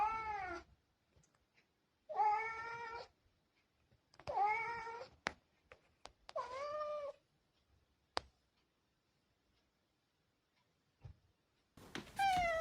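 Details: Domestic cats, one of six cats whose voices are compared, giving clear drawn-out meows in a quiet indoor room, four calls spaced about two seconds apart with slight downward bends, plus a final louder meow and a few soft clicks.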